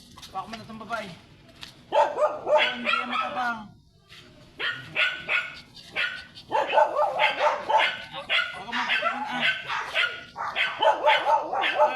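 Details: Persistent barking from a blue-line Shih Tzu called Sanji on a San Carlos City, Pangasinan sidewalk: clustered runs of quick yappy barks with short pauses, mixed with human voices in the background.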